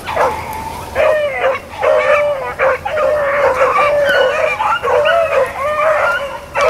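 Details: Hounds, Blackcreeks and Blueticks, chasing rabbits on April 4, 2013: a nearly continuous chorus of mixed bawls and chops from several dogs, with notes bending up and down and frequent overlaps.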